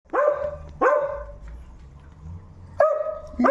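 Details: Noisy dog barking: three loud, harmonic barks, each with a sharp onset and a drawn-out tonal tail, spaced about a second apart, with a low background hum.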